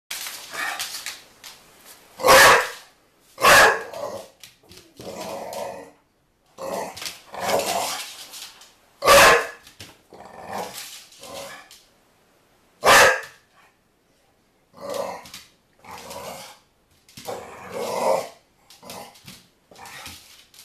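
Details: Pet dog named NuNu barking while chasing a soccer ball, loud sharp barks at irregular intervals with quieter growly vocal sounds in between.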